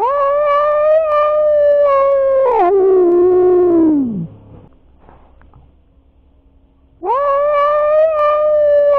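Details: Domestic cats in a showdown, one tom driving off intruding stray cats. Long, steady, moaning yowls that hold one pitch, then bend down and fade, with a second drawn-out yowl starting after a short pause.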